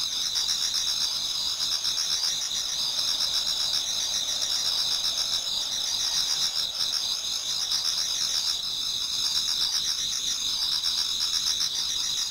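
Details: Continuous autumn insect chorus before dawn in a Japanese garden: shrill layered trills ring constantly, with faint rhythmic chirping pulses beneath and no other clear sounds.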